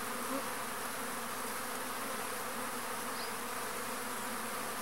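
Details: Arapuá bee (Trigona spinipes) visiting a pumpkin flower as a pollinator; low continuous droning hum, a short soft higher note near the start and a faint chirp later.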